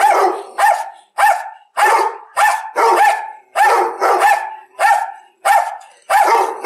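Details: Dog giving a steady series of loud, harsh barks roughly every half second to second, each bark ringing with a clear tonal center and falling off at the end.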